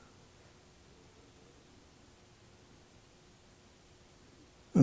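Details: Near-silent indoor room tone that breaks into a sudden loud burst at the very end.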